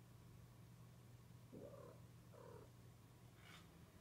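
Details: Cat mating call: two short, faint, wavering mid-pitched yowls about a second apart, then a brief higher squeal, over a steady low electrical hum.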